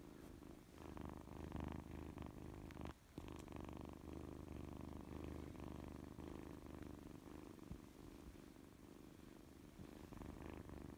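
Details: Steady low purring from Mikan, a Scottish Fold kitten with orange fur, a rapid rumbling pulse that pauses briefly near the three-second mark and then carries on evenly, with faint handling noises.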